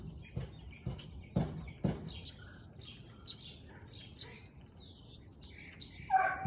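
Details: Siberian Husky barking at 4:17 pm on 13 March 2021, four low, abrupt barks spaced about half a second apart, followed by quieter bird chirps and twitters and one last muffled bark.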